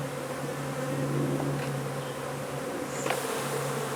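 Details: Continuous buzzing drone from a honey bee colony under a wood pile in McAllen, Texas, during a hive removal; the low steady hum stays even and unbroken, with faint soft knocks in the background.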